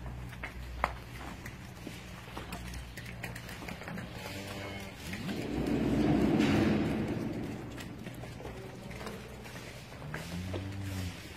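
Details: Friesian cows running and jumping on a dairy farm in Pakistan; a low, drawn-out moo swells and fades mid-recording, with a shorter lowing call near the end, over farmyard shuffling and distant engine noise.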